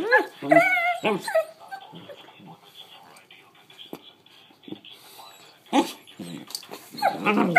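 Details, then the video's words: Collie puppy sisters vocalizing, a run of high, wavering whines and yelps that rise and fall in the first two seconds, with softer yips and sharp cries later, plus a person's voice. "Collie puppy sisters vocalizing"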